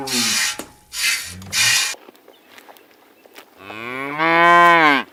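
Three short, breathy, rasping bursts, then a long, deep, rich moo that swells and fades over about a second and a half.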